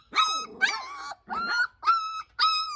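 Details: Georgian Shepherd puppies in Sagarejo, Georgia, giving five loud, high, tonal yelps about half a second apart, each a clear sustained squeal with bright overtones.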